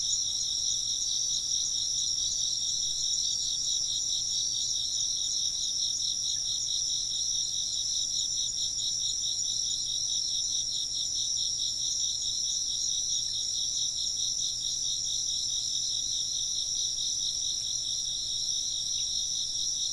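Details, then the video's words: Continuous high-pitched insect chirping from many overlapping callers, a ringing, rapidly pulsed trill holding at even loudness throughout, with no other clear sounds. "風鈴の音と虫の声 - wind chimes and chirping insects"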